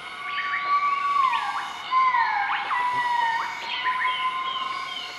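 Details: Southern white-cheeked gibbons in a group duetting their morning call in Nakai-Nam Theun National Protected Area, central-eastern Laos, 20 March 2014: long sliding whistled notes falling and rising, overlapping upswept calls, steady insect hum behind.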